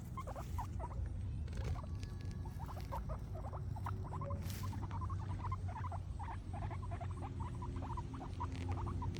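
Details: Guinea pigs munching grass: quick, crisp nibbling and chewing clicks repeated over a steady low hum.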